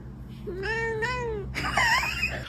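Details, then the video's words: A pet cat "talking" with its owner indoors: two drawn-out tonal meows, the second slightly rising, then a brighter, louder wavering meow. A steady low hum sits underneath. "When I had a talking cat"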